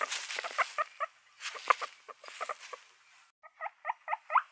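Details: Guinea pigs make softer, lower sounds: a loose run of short squeaky chirps and chuttering notes, irregularly spaced, then after a brief break a tighter series of clipped squeaks.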